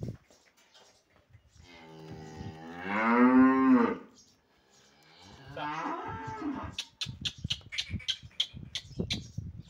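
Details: A sold cow moos loudly in a long harmonic call rising then falling over about two seconds, followed by a second quieter moo, then clattering knocks and thumps.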